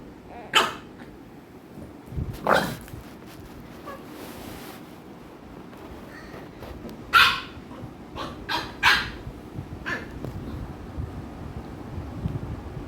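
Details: American Bully dogs Ami and Mikku at play, Ami pestering Mikku; scattered sharp barks, two close together near the start then a quick cluster of four or five later, over a steady low background hum.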